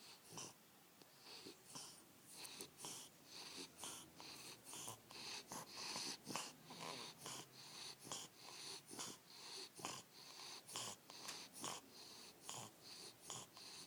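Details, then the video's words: Bulldog named Wally snoring, about 68 wheezing, snorting breaths a minute in an uneven rhythm, each a hissy rasp, indoors with no other sounds. "Wally Bulldog snoring"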